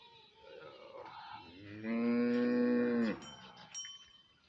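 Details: A bullock-cart racing bull gives one loud, steady moo of about a second, rich in stacked harmonics, holding level in pitch and then cutting off abruptly, with a soft background murmur before and after.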